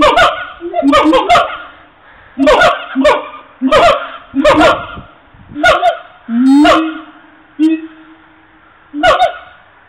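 Siamangs give loud, harsh, harmonic barks and hoots in irregular bursts, with a longer rising wail near the end.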